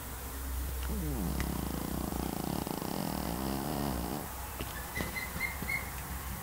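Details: Pekingese snoring while asleep: a long, rasping, harmonic breath stretched over about three seconds, with a softer whistling wheeze afterwards and a faint steady hum throughout.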